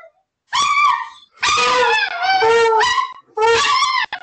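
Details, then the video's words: Giant Alaskan Malamute howling: loud, drawn-out wavering howls with rich harmonics, three long phrases over four seconds, the middle one sliding down in pitch, with brief silent gaps between. "Guaranteed to Make your Dog Howl Giant Malamute Edition"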